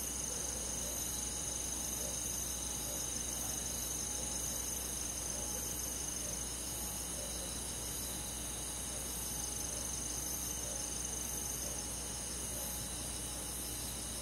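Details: Summer-night forest insects led by crickets, a constant dense trilling chorus of quick pulses several per second from many callers, unbroken throughout, over a faint low rumble.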